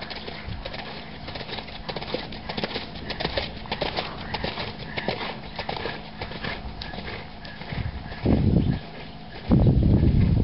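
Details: Four-year-old stallion's hooves striking the ground in a quick, uneven patter of soft knocks, with two loud bursts of rushing noise near the end, likely wind or handling.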